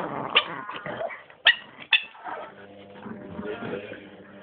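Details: Female Chihuahua guarding her bone, unhappy as someone tries to take it: a rough, rumbling growl broken by three sharp snapping yelps in the first two seconds, then a steadier grumble, with human voices faintly mixed in.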